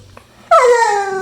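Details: Pit bull dog indoors while playing with its owner, letting out a sudden, loud, drawn-out whine that starts high and slides steadily downward, a talking-like vocal, after a faint quiet start.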